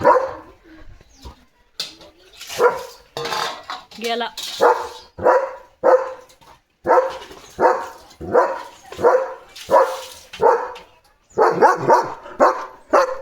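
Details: Domestic German Shepherd on morning barking duty, barking steadily and insistently: a long series of loud, rough barks, roughly one every two-thirds of a second, with a short pause before a final rapid cluster.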